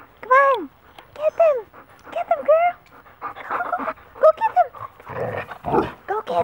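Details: Dogs in a playfight: wolfdogs tussling while a 12-year-old Great Pyrenees mix tries to break it up. Arching, whining yelps come in quick bursts, about five in four seconds, then noisy scuffling. A woman cheers them on throughout.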